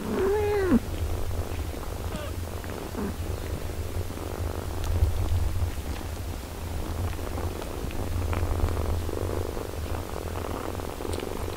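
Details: Domestic cat, a mother caring for her six-day-old kittens: one short arched mew at the start, then a steady low purring rumble running underneath throughout, with faint rustling.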